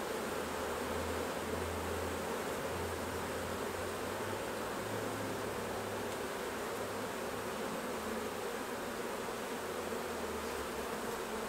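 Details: Buzzing of many honey bees at the hives during a honey harvest, a steady hum, with an intermittent deeper mechanical drone coming and going underneath.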